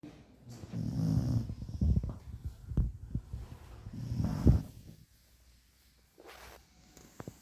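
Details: A sleeping Cocker Spaniel snores loudly in deep, rumbling, rhythmic breaths.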